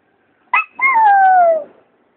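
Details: Miniature Schnauzer, a pet dog and the vocal one of the household, howling: a brief yelp, then a single smooth tonal howl of about a second that slides gradually downward in pitch and fades out, with a quiet room behind.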